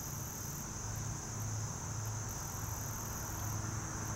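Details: Short-winged meadow katydid singing, a sustained shrill buzz with short higher pulses, partly masked by a loud wavering low hum throughout.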